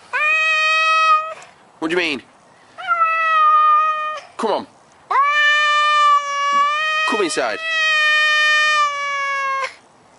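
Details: Domestic cat repeating long, steady, flat meows, three drawn-out calls of one to three seconds each, separated by short bursts of human talk.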